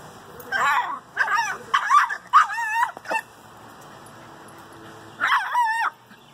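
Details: A Miniature Schnauzer facing a barn cat gives a quick run of high, tonal yapping barks, then one more after a pause.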